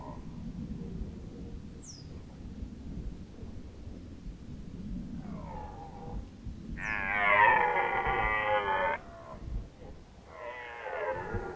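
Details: Rutting red deer in Lower Oder Valley National Park, Germany, 2019: after quiet background, a short harmonic groan, then a loud two-second roar and another strong bellow, with a high brief squeak earlier.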